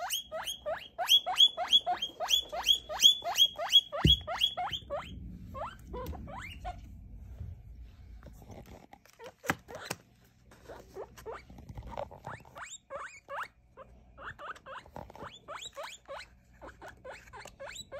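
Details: Baby guinea pig about three weeks old, handled during a weight and sex check, giving rapid repeated rising wheeks, strong and steady at first, then sparser and fainter squeaks, with a thump and handling noises.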